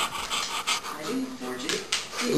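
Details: A vocal female Alaskan Malamute, finicky about her breakfast, pants quickly and gives low, wavering, talky moans that rise and fall while a person encouragingly coaxes her to eat.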